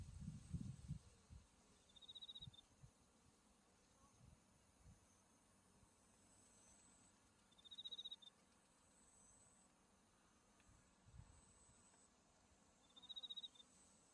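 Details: Autumn insects calling beside a white-flowering buckwheat field with Mount Tsukuba in view: short bright chirp bursts recur roughly every five to six seconds over a faint steady high ringing, with low rumbling noise at the start.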